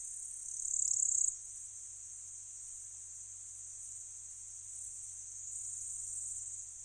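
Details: In a Slovenian meadow, a microphone array picks up a bush-cricket, probably Pholidoptera littoralis, giving a continuous thin, very high sizzling trill that swells briefly near the start, then holds evenly throughout, over faint low rumble.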